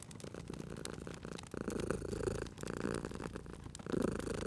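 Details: A purring cat near a crackling fire, the rough, low vibration swelling in short bursts as it breathes, overlaid by frequent dry clicks and pops from the burning logs.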